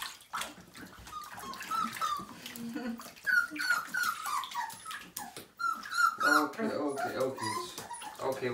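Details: Whimpering Siberian Husky puppy aged five weeks at its first bath, repeated high, slightly falling whines about three per second, mixed with splashing water and a person speaking softly.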